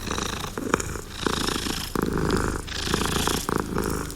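A domestic cat purrs steadily, a low rumbling vibration pulsing in rhythm with its breathing.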